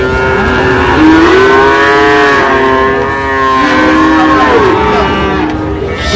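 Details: Sahiwal breed bull calves tied to a Chuadanga farmer's purchase in Bangladesh, recorded 19/8/25: long, loud, wavering harmonic lowing calls overlapping for several seconds, with a low rumble of vehicles beneath.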